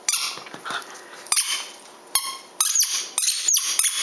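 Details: Black Miniature Poodle named Gracie during a ball game, giving sharp high-pitched squeaky yips in quick clusters, some sliding downward, over about four seconds.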